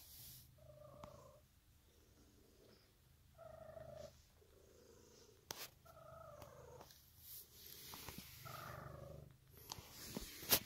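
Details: Steady low rumbling purr from Emerald, a pet cat, with short tonal mid-pitched sounds rising over it about every two to three seconds, plus scattered clicks and a hissy rustle toward the end.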